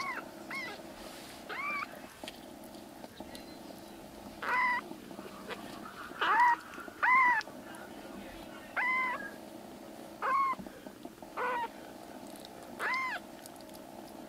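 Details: Rescued black kittens, three foster brothers whose stomachs and eyes are recovering, now crying loudly indoors: about nine short arched mews, some with a rise-and-fall, repeated every second or two over a steady low hum.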